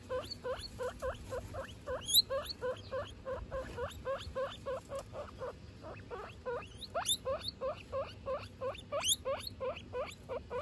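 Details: Pet guinea pigs, a mother and her three young, calling as a family: continuous series of rapid rising whistled squeaks, about three per second, with occasional sharper high-pitched upsweeps and slight overlapping voices.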